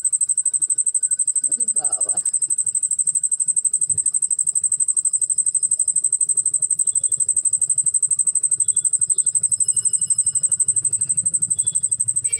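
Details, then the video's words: Cricket calling loudly indoors: a steady high-pitched pulsed trill, about three pulses per second, running without pause; a person talks briefly near the start. "ঝিঁঝি পোকার কেমন ডাক ছে"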